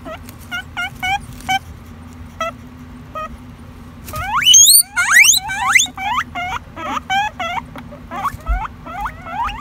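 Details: Guinea pig wheeking: short repeated squeaks at first, then from about four seconds a louder, faster run of sharp rising-and-falling whistled wheeks with strong harmonics, over a steady low hum.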